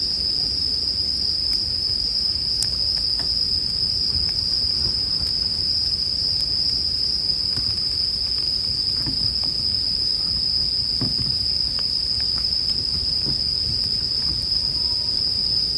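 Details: Unbroken, shrill ringing of bell crickets runs through the whole stretch while a bonfire crackles with scattered sharp snaps and a low murmur underneath.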